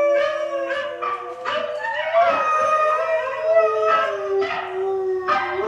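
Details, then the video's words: Hailey, a pet dog, howls along to recorded huskies howling: long tonal howls with several overlapping voices, each sliding gently up and down in pitch, swelling and fading across six seconds. "Hailey Howls to YouTube"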